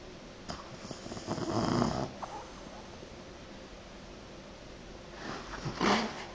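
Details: French Bulldog sleeping and snoring: two short, softer rasping snorts several seconds apart over a hissy indoor background.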